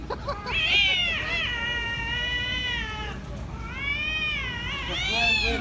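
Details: Angry cats fighting: long, high, sustained yowls that hold a steady wailing pitch, break briefly, then swell again with rising and falling bends.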